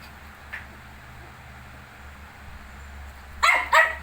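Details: Shih Tzu alongside 19-day-old puppies: near silence with a faint yip early on, then two abrupt loud barks close together at the very end.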